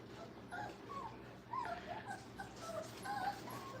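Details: Brittany puppies whimpering during crate and tunnel training at a kennel; soft, high whines rising and falling in short thin bursts over a steady low hum.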